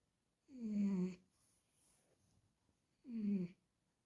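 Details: Sleeping cat indoors snoring: two voiced, groaning snores about half a second long, each sliding downward in pitch, spaced about two and a half seconds apart with quiet breathing between.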